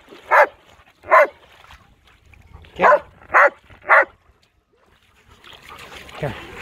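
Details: Giant schnauzer named Blitz barking while swimming in a lake: two separate loud barks, a short gap, then three quick barks in a row, followed by a wash of splashing noise.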